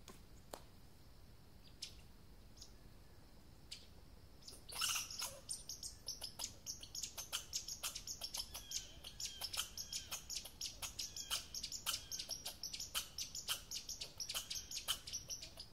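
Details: American red squirrel calling: after a few quiet seconds, a long run of sharp, dry, clicking chips starts, repeated about two or three times a second and holding steady to the end.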